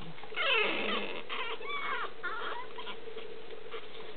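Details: A litter of Boston Terrier puppies give thin, high whimpers and squeaky whines, several overlapping in short bursts.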